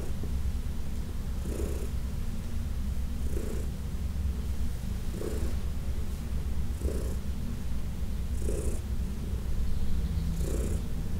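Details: Fourteen-year-old adopted cat purring while massaged, June 17, 2021: continuous low vibrating rumble, with faint airy breaths roughly every one and a half to two seconds over the steady purr.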